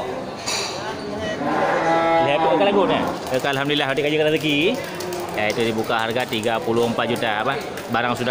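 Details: Aceh cattle crossed with Simmental at the Geurugok cattle market in Bireuen, Aceh, 13 July 2021, on a weekend before Qurban; a drawn-out harmonic moo rises through the middle while people talk loudly nearby and voices fill the rest.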